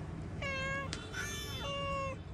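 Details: Cat meowing outdoors near a tree, two drawn-out, steady, high meows with a short pause between them, over low background hum.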